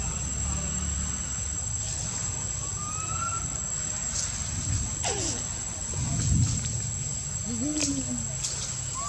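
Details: Young monkey at the Angkor Wat and Bayon temple area, Cambodia, whistling for milk in spring: thin, scattered whistles, some rising and some falling, several of them short slides, over steady hiss and low rumble.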